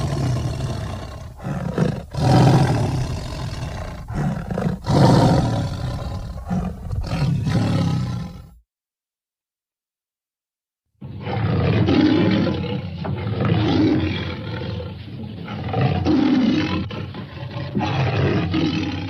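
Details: Tiger producing repeated gruff, throaty roars and growls for about eight seconds, a silent gap of two seconds, then a further run of rumbling, pulsing roars.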